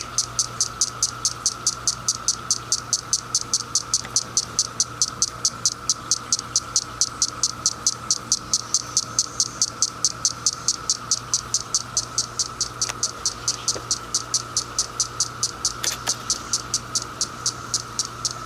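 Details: On 10 June 2021 a single female cicada gives a fast, even train of dry, sharp clicks by flicking her wings to attract males, while male cicadas roar in the background.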